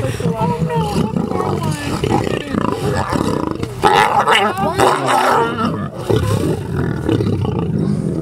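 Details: Lions at the Lion Park near Johannesburg in September 2013 fight over a couple of cow legs during the nightly feeding, heard from a truck. Harsh, continuous growling and snarling roars overlap throughout, with human voices mixed in.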